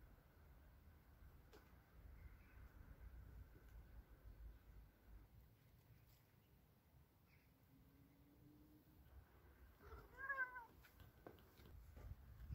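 A Ragdoll cat lets out a drawn, wavering protest meow against a quiet, rumbling background.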